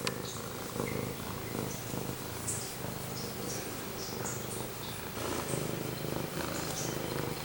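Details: Male pet cat Pumpkin purring right up against the camera indoors: a steady low rumbling purr with soft rhythmic pulsing throughout and faint light ticks above it.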